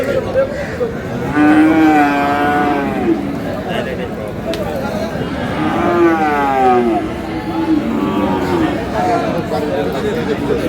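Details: Friesian and crossbred bull calves at Aftabganj haat, Dinajpur, on 22 July. Three nasal moos, each bending up then down, spaced a few seconds apart, with traders talking continuously behind.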